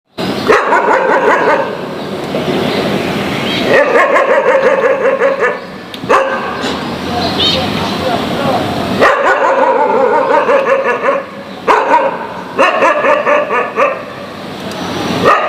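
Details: Several dogs barking loudly, not happy with each other; rapid overlapping barks in bursts with brief pauses, yips mixed in, dense and harsh throughout.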